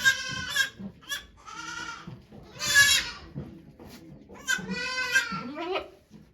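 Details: Goat bleats during the birth of Okayu's two kids at Yoshigake farm on 3 May 2023, volunteers looking on: loud, strongly harmonic, wavering cries, about four in six seconds, with low human murmuring beneath.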